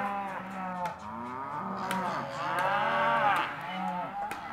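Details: Hereford and Careta half-tooth cows, auction lot 17, lowing in several overlapping drawn-out moos, some rising and falling, with a few sharp knocks in between.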